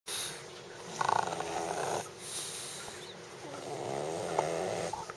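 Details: Justice, a pet dog, making a weird snoring noise indoors: soft rasping breaths with a brief louder snort near one second and low rumbling throughout.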